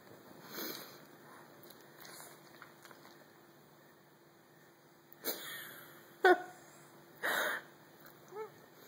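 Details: Remy, a French Bulldog, begs for pizza he cannot reach indoors, giving a sharp high whine and a later soft whimper among sniffing and snorting breaths.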